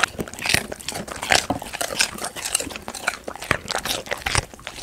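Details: Domestic golden retriever chewing snacks including raw chicken, giant homemade jelly, apple, paprika or sweet potato; moist crunching bites in irregular bursts about every half second, with smacking mouth sounds in a small room.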